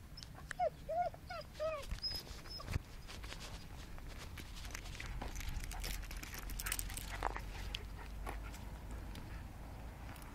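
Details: A young, playful abandoned Podenco stray on the street in Murcia, thought to be no more than a year old, gives a quick run of high, yelping barks, followed by rustling background noise.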